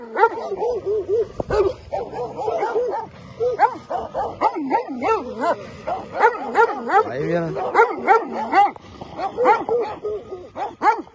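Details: Albanian Molossus dogs defending their territory with a long, busy run of overlapping barks and wavering yelps from more than one animal, steady and uneven, with human voices mixed in.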